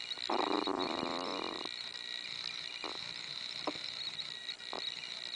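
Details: Lilly, a six-week-old Chihuahua puppy, asserts dominance over her little brother Dash while playing: one raspy, pulsing growl lasting over a second, then a few brief faint grunts over a constant high-pitched background hum.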